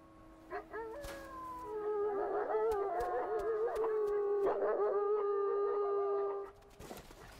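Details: Gray wolves of the Druid pack in the Lamar Valley howl while a rival pack challenges their western border: several overlapping long, sustained howls, some wavering and some falling in pitch, with brief yips, ending abruptly near the close.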